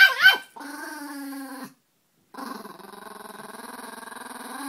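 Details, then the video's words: Peka-Pom dogs growling when annoyed by another dog: a sharp yip, then two long steady buzzing growls separated by a short silence. "Peka-Poms growling"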